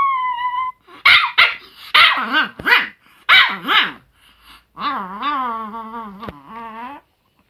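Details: Chihuahua, June 2018, starting with a thin tonal whine, then a volley of shrill barks, ending in a long, wobbling, moaning growl that holds for about two seconds.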